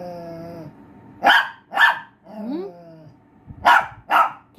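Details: Pinscher dog giving four sharp barks in two pairs, with a tonal whine-like voice and rising squeal between them.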